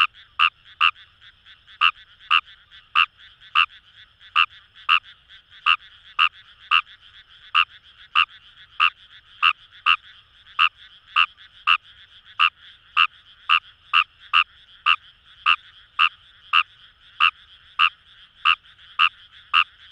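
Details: Kawamura's rice frog (Numagaeru), wild, calling in paddy fields along the Kamo River, Itoshima, Fukuoka, Japan: short sharp croaks repeated steadily about one and a half times per second, over a faint continuous chorus hum.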